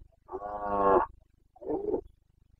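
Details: Rutting Carpathian red deer stag in Bucovina's mountain forests, breeding season, September 2022: a deep harmonic-rich roar of about a second rising in intensity, followed by a shorter rough grunt, over a low steady hum.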